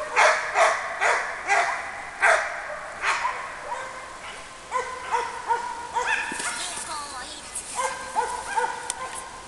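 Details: Labrador Retriever named Ergo during a barking exercise: a run of short, sharp barks in quick, uneven succession over the first three seconds, then softer yelps mixed with a person's encouraging words in Latvian.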